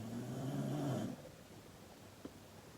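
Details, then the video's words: Sleeping dog snoring loudly indoors: one rough, low, droning snore lasting about a second, with layered buzzy tones, then near-silence with faint room hum and a single soft click. "Dog Snoring LOUD"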